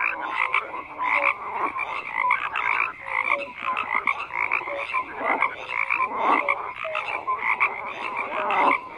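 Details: A frog chorus of overlapping, grating croaks that swell and fade in waves. Short low whistled notes recur every second or so beneath bursts of harsher, rattling calls.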